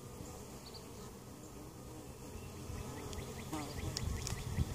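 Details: Low droning hum of honey bees at an opened hive in Mt. Perry, Ohio, a colony weakened over winter and treated for varroa mites, growing louder near the end with short scraping and clicking sounds.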